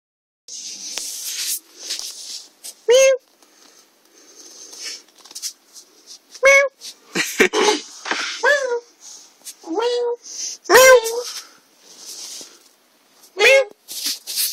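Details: Kittens meowing: several short, high, harmonic mews with slightly rising then falling pitch, scattered irregularly about every one to two seconds, with faint hiss and background noise between calls.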